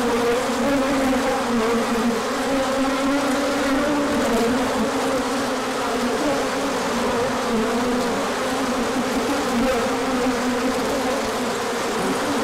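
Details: Honeybees swarming out on a large orientation flight as the sun returns after colder weather, 24 March 2024; a dense, continuous drone of many wings with steady hum bands, wavering gently in pitch throughout.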